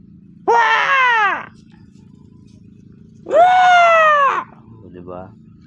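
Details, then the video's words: Two loud, drawn-out bleats from kept goats in their pen in the afternoon, each about a second long with a slight downward sag, followed by a faint softer call and a low background hum. "Mga alaga kong kambing"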